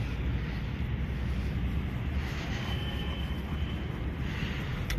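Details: Steady low rumble of outdoor vehicle or wind noise throughout, with no animal call heard.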